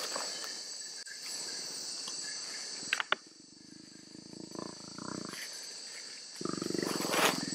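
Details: A mating pair of jaguars (Panthera onca) at night in the dense Amazon rainforest. Two bursts of low, rough, rapidly pulsed growling rise over a steady high drone of insects, with a sharp click just before the first burst.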